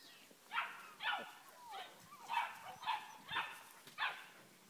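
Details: Dogue de Bordeaux puppies, recorded in August 2013, giving a series of high, thin yips and squeaky whines, about seven short calls spaced roughly half a second apart.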